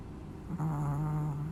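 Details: Chihuahua snoring in its sleep, a single low humming drone that starts abruptly and holds evenly for about a second.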